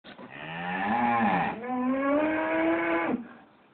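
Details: Cows on a farm due for slaughter the following week, mooing noisily in the farmyard one morning: a long harmonic bellow rising then a second sustained moo, slightly climbing in pitch, about three seconds of calling.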